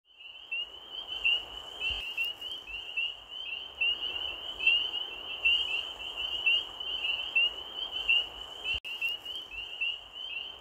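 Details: Frogs calling late at night: a steady high-pitched chorus of short chirps repeating about every second, layered over a continuous hiss-like background buzz, with a faint thump near the two-second mark.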